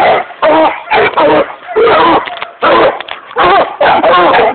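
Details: A 6-month-old Redbone Coonhound pup gives short, wavering bays in quick bursts, with a person's voice mixed in.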